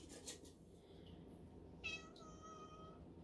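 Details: Black male house cat with a white spot on his chest, vocal indoors while his owner talks to him, gives a drawn-out meow of about a second and a half, steady then trailing off, over quiet room hum.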